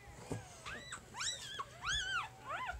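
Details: Three-day-old puppy from Jig's litter, handled while its markings are described, gives arched, rising-and-falling squeaky whimpers in bursts about every half second, with a man's voice speaking quietly and a faint low hum behind.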